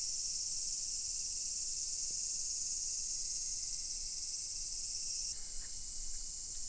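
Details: Cicadas in a loud massed chorus at Daichū-ji temple, Ōhira town, Japan: a dense, steady high-pitched hiss that holds unbroken, then dips slightly and thins after about five seconds, with no other clear sounds.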